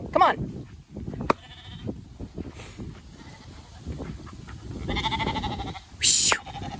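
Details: Zwartbles lambs on a regenerative farm in County Kilkenny, Ireland, being herded out of the field without their mothers, bleating in short wavering cries amid a woman's calls to them and a sheepdog, with rustling footsteps in tall grass.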